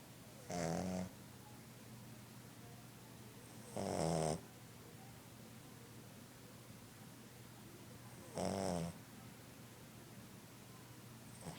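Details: A new Boston Terrier puppy snores while asleep, in short, rasping bursts every few seconds.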